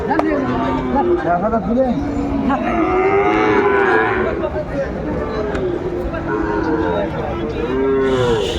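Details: Lowing of Sahiwal cattle, bull calves on sale, at a market in Kurigram, Bangladesh, on 14 December 2024. A series of arched moos repeats through more than eight seconds, partly overlapping, over a crowd's background hubbub.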